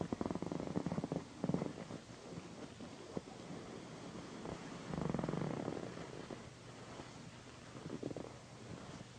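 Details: Pandy, a female pet cat, purring loudly while being massaged beside a satin pillow; a steady low rumbling purr runs throughout, swelling in soft pulses near the start, middle and end, with faint rubbing and rustling of fabric.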